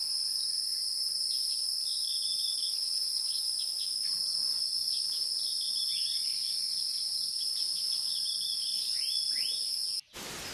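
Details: Insects in the wild make a continuous shrill drone of two high, even tones, while scattered birds add quick chirps and short descending twitters. The recording cuts off abruptly near the end.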